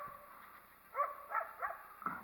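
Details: Wild coyote barking at a person it did not like being nearby: four short, harsh barks spaced about a third of a second apart after a quiet start, with faint outdoor background.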